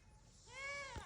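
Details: Loud, drawn-out bleat from Reesie the goat at a farm animal rescue, rising then holding a strained, rich tone for about half a second before a sharp thump, with a conversation just beforehand.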